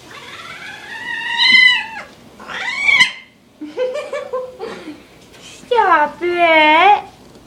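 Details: Mr. Whiskers, a rescued young tomcat, loud and whiny, fitted with a diaper indoors because he has begun spraying, gives a run of bright harmonic meows: long rising-falling wails, short stuttered chirps, and a final wavering cry.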